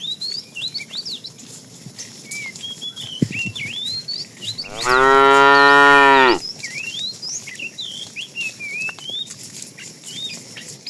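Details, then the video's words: Tame fat cow calling the female during afternoon herding: a single strong moo lasting under two seconds, flanked by constant twittering and whistling of small birds. "The funny sound of a fat cow calling the female"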